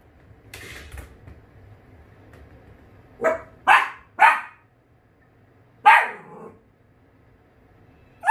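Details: Pet Dachshund at home barks at a repair worker who has arrived. Three quick sharp barks come in a burst, then a lone bark after a pause, and another starts at the end. Faint background room noise.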